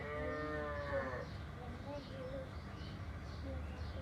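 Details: Village cattle being brought into their shed by their owner: one drawn-out, richly harmonic moo of just over a second that bends downward at its end, followed by faint chirps and steady rural background noise.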